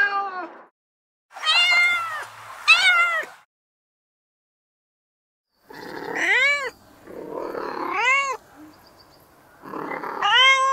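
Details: Cat in heat giving mating calls: a pair of arched, wavering meows, then a pause, then a run of rising-and-falling yowls that come close together with some breathy rasp between them.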